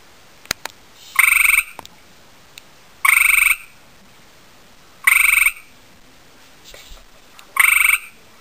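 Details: Male gray tree frog courting a female he saw: four loud buzzy trills, each about half a second of fast pulses, repeated roughly every two seconds, with scattered clicks and handling noises between.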